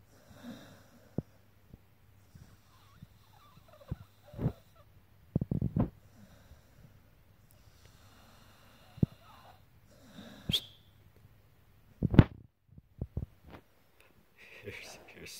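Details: Pit bull named Luca snoring while asleep: low rumbling breaths held steady under soft clicks and sharp snorts, with short broadband bursts near the middle and end, and a voice remarking on the snoring afterward.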